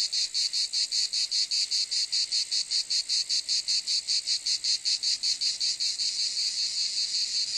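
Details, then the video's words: Cicada chorus of shrill, rasping buzz beating in regular pulses roughly every 0.4 seconds, steady and loud from start to end, nothing else audible. "Cicade geluid / Zikaden sound / Zikaden zirpen / Cicada sound effect"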